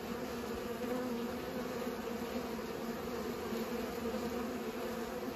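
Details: Bees busy pollinating produce an even, humming buzz, low layered tones without pause across the whole stretch.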